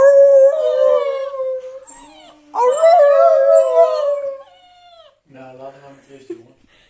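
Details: Dog howling in response to howling dog sounds played on a phone, owners joining in; two long steady howls with strong overtones, then lower, rougher voice-like howling at the end.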